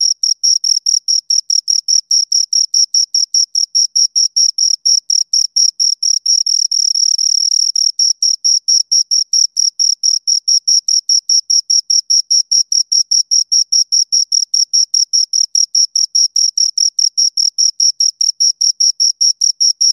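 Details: Two crickets calling steadily, a fast, evenly spaced train of shrill high pulses lasting throughout, with a brief stretch of continuous trilling midway; otherwise quiet.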